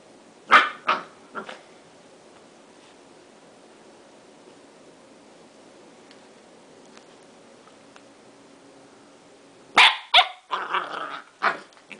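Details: Corgi named Shiro barking while rolling on the floor after a bath: three short sharp barks at the start, a long quiet gap, then a burst of several quick barks and yips near the end.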